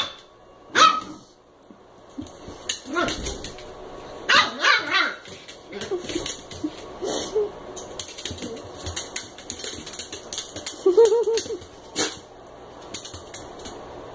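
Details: Eight-week-old American Eskimo puppy at play with a Chihuahua mix inside; scattered sharp yips and small barks spread over the stretch, one longer whiny yelp near the end, with quiet gaps and room noise.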